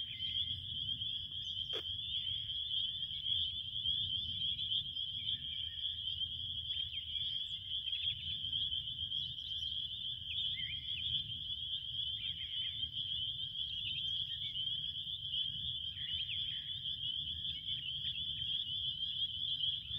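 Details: Crickets heard as a steady, high, unbroken ringing trill that holds one pitch throughout, with a faint low rumble beneath and one brief click near the start.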